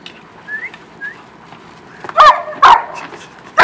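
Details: A pack of German Shepherds playing in a kiddie pool of ice: two faint, high whines, then three loud, sharp, abrupt barks or yelps about half a second to a second apart.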